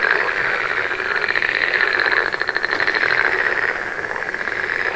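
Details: Frogs at night keep up an unbroken rattling chorus, quick pulses merging into a continuous buzzy trill that wavers in strength, against a constant background hiss.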